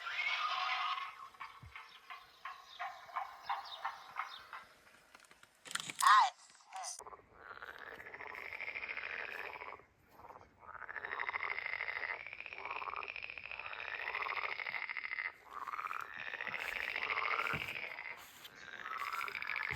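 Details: Frogs croak at night in a chorus of drawn-out, rising-and-falling calls at a campsite, after a brief whisper so as not to wake people sleeping in tents nearby.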